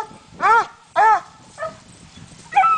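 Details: Coonhound barking while treed on a raccoon during a coon hunt: three loud, ringing barks about half a second apart, then a weaker one and another starting at the end, with faint background between.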